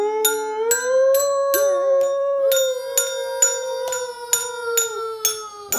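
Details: Husky named Mila howling with two children at play: a sustained, smooth tone held for several seconds while bell-like mallet notes ring out about twice a second.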